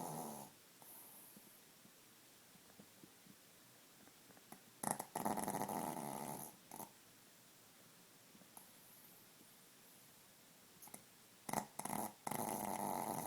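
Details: Male pet Chihuahua snoring loudly while asleep: harsh, raspy snores in bursts of about a second, separated by quiet stretches of breathing, with a cluster of louder, closely spaced snorts near the end.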